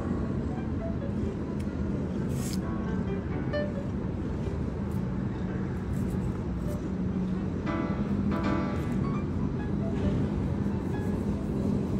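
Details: Steady traffic rumble in an urban setting, with background music and occasional brief voices; no animal calls stand out.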